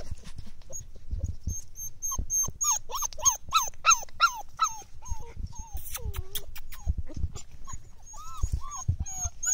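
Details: Several five-week-old Belgian Malinois puppies whimper with quick, high, arching whines that overlap one another.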